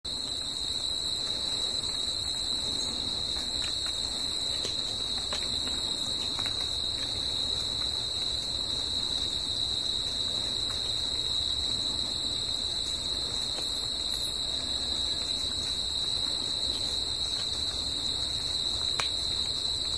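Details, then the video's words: Crickets singing in nature at night, a dense unbroken high trill holding steady throughout with a fainter, higher overtone, a soft low rumble beneath and a few faint clicks. "CRICKETS AT NIGHT"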